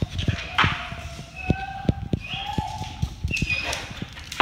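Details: Great Dane crying in joy as its owner arrives back home; long steady whines held at one pitch with higher thin tones above, over rapid clicking taps like claws on a hard floor.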